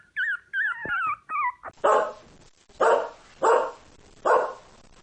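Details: A dog starts with a few quick, high, wavering yips, then gives four loud, harsh barks spaced roughly a second apart.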